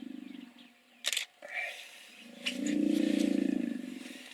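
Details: Hippos make a short low pulsed grunt, then sharp clicks and brief noises. A loud, deep, rapidly throbbing grunting bout follows, building from the middle to the end.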